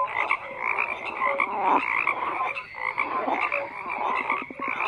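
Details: Chorus of croaking frogs, buzzy rattles and quick repeated pulses over a constant background of many callers, with occasional short tonal notes.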